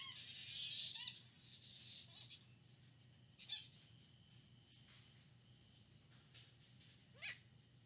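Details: Harsh, grating squawk from a flying fox on the Lubee Bat Conservancy live cam, Gainesville, Florida, October 4, 2019, loudest at the start, followed by faint scratchy notes and one sharp chirp near the end, with a constant background hum.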